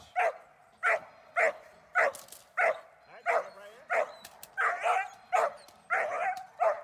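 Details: During protection training the German Shepherd Dornan delivers a steady run of deep, rasping barks, about one every half second to second, a few doubled, with faint background noise between them.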